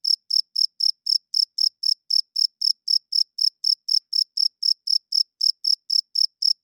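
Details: Loud night chirping of a cricket, with evenly spaced, piercing high chirps repeating about four times a second for the whole stretch against a silent background.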